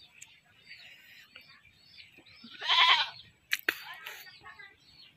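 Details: A single loud quavering bleat from a goat that was caught and slaughtered, followed by two sharp clicks and quiet background murmuring.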